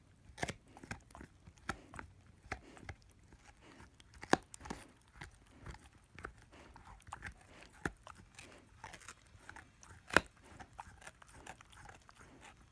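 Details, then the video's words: A 10-month-old German Shepherd/Labrador puppy gnaws on his first bone: crunchy, irregular cracks and clicks of biting and chewing, with sharper loud bites near the fourth and tenth seconds against a quiet background. "Dog chewing on bone"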